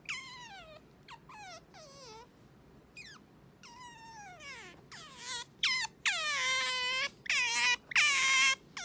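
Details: Pet otter Sakura rousing her owner in the morning with shrill, harmonic squeals that fall in pitch, starting as spaced single cries and building into longer, louder wavering wails packed close together.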